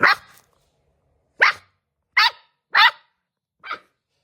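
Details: Golden Retriever puppy acting fierce, giving five short, sharp, high yapping barks spaced irregularly over about four seconds, each dying away quickly, with quiet between them.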